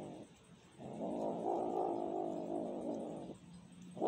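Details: Hungry cat yowling for food: one sustained, low, moaning cry of over two seconds with a steady wavering tone, preceded and followed by brief softer calls.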